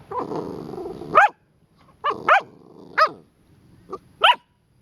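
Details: Latte, a Pit Bull biting at a sprinkler, gives a low rumbling growl that breaks into sharp barks, then several more abrupt barks spaced about a second apart between quiet pauses.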